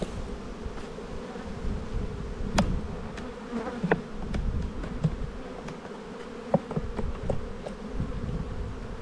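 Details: Spring honey bee colony in the bee yard, its soft, even drone filling the background while light taps and clicks from working the hive boxes punctuate the hum.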